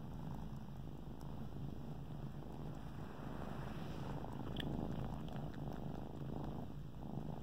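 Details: Kittens kneading at their favorite blanket, suckling and purring: a dense low rumble in quick regular pulses, with a sharper tick and rustle midway.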